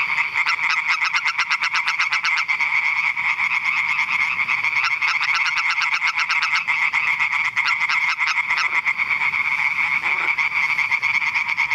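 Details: European tree frogs (Hyla arborea) at Eichkopf, Hesse, Germany, give loud, rapid, rattling croaks that run together into a steady chorus.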